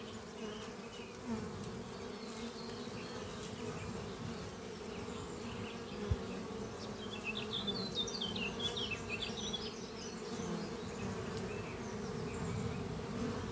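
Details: Honey bees flying at a horizontal hive made from an old French oak chest under trees on a spring morning, workers bringing in pollen; a dense steady hum with bands near 200 and 500, plus twittering birdsong above.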